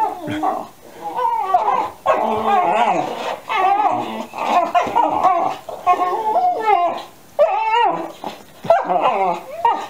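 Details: 13-week-old Alaskan Malamute puppies, playing under a chair, yowl and whine at each other in wavering, overlapping howls with short breaks, keeping up the same sounds for about 45 minutes.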